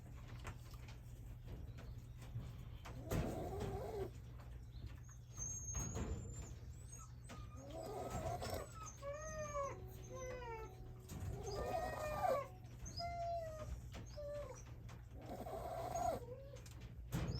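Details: Sleeping Shiba Inu pup, born 30 August 2023 to Yuki, snores like an old man. Raspy bursts recur about every four seconds, while thin high chirping and whistled notes sound in the middle stretch over a constant low hum.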